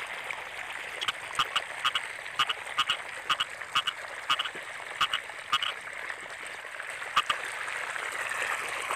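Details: Rainy-season chorus of frogs in a rice field: short, bright croaks in loose runs about every half second, with overlapping callers and a constant hissing background.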